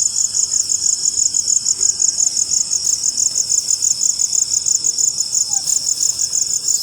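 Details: Crickets trill steadily after rainfall in a high, pulsing chorus that never lets up.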